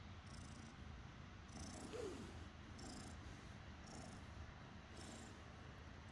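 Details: Glue, a cat about five months old found in the forest, purring during an affectionate moment with its human; a soft, steady low rumble with faint breathy swells roughly every second, heard close and quiet indoors.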